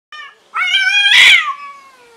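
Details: Home kitten at odds with yard cats; a short meow, then a long loud drawn-out harmonic wail that peaks harshly and fades into a falling tone.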